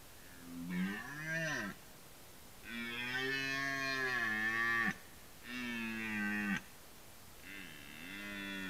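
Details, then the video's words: Red deer during the rut giving a series of four rough, throaty roars, each one to two seconds long. The roars are separated by short silences, and the final one is weaker and wavering. "Rykowisko / Deer rut"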